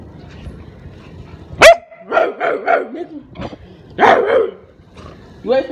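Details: Pet Rottweiler barking at its owner, giving a sharp knock-like burst followed by a run of quick harmonic barks and yelping calls, with a person's voice mixed in.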